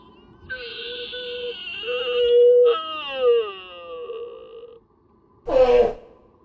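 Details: Sika deer at Nara Park, Japan, calling during the mating season. Two loud, sustained harmonic wails run back to back, the second sliding downward. After a short pause a sudden harsh, broadband burst follows.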